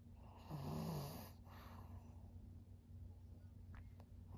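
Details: Maria, a thirteen-year-old fawn female senior pug in Japan, recorded 5 September 2023, lets out one loud, low, rough snorting breath lasting about a second, then quieter breathing over a steady low hum.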